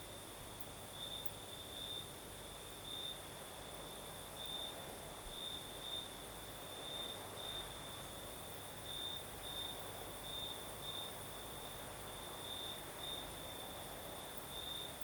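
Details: Crickets at night in the south of Crimea, night breeze blowing; a steady piercing trill pulses brighter in short bursts roughly every second, with a fainter, higher ringing tone and soft rolling wind beneath.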